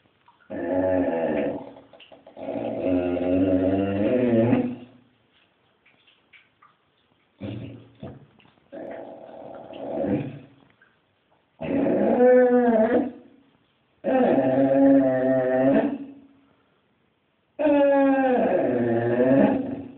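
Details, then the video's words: A Basset Hound begging on the street gives drawn-out moaning howls and whines in six bouts of about one to three seconds each. Some bouts waver in pitch, and short quiet gaps separate them. "Basset hound begging on the street"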